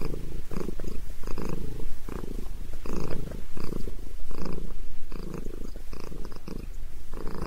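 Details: Purring from Sabrina the cat during a head massage: a throaty low vibration rising and falling in regular breath cycles, recorded up close indoors.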